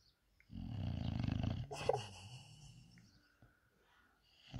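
An English bulldog snores loudly, a deep rattling rumble that fades into softer wheezy breaths.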